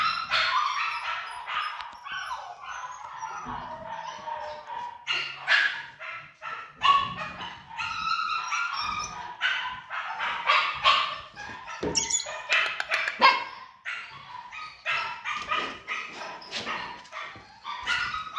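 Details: Pomsky crossed with Samoyed, with a dense, busy run of shrill yaps and barks broken by brief whines, near-continuous and uneven in rhythm.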